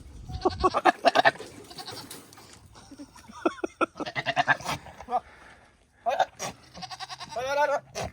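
A buck goat courts a female with rough, stuttering bursts and a long quavering bleat. Human voices and laughter are heard between the calls.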